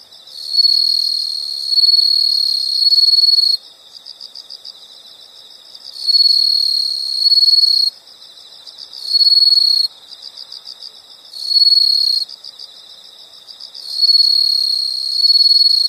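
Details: Insects calling in a relaxing nature recording: shrill sustained buzzing trills of one to three seconds recur through the clip, with soft rapid pulsing chirps filling the gaps between them.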